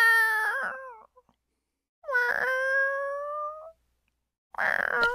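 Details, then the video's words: Hungry male kitten meowing, three calls with short silent gaps between: a wavering first meow, a long level one held over a second and a half, then a brief bright one, all rich in stacked overtones. "May hunger because talking meow meow"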